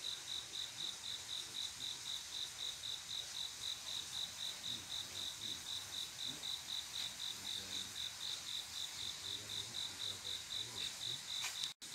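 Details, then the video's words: On a still summer night, male crickets sing to attract females: an even, high-pitched chirping repeated roughly four times per second, with a faint insect hiss behind it and a brief drop-out at the very end. "조용한여름밤 귀뚜라미소리"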